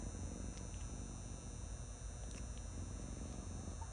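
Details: Cat purring while lying in a lap, a continuous low rumbling purr with steady pulses, a faint steady whine and a few small clicks above.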